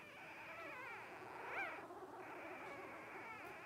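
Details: Litter of five 12-day-old Blenheim Cavalier King Charles Spaniel puppies, offspring of Paris and Spike born at New Year's 2023: a steady chorus of thin, quavering whimpers, one brief louder squeal standing out midway.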